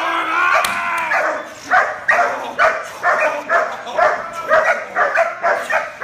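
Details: A young, trained German Shepherd puppy barks repeatedly. A drawn-out vocal sound opens the sequence, then short, punchy barks follow roughly twice a second in a steady, insistent run.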